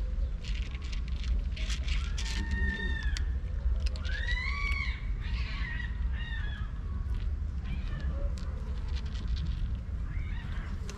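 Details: Stray domestic cats during a daily street feeding give several harmonic, arching meows between two and five seconds, then softer calls, over steady low rumbling background noise and scattered crackling clicks.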